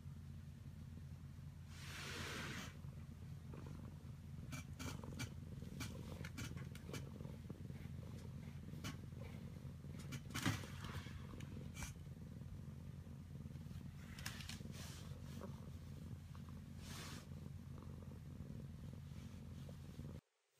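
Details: Domestic cat Maroshiro, rescued in 2014 and now head cat of the household, regressing into kitten-like affection in an upstairs cat room. Steady, deep, rumbling purr runs throughout, broken by occasional sharp clicks and rustles.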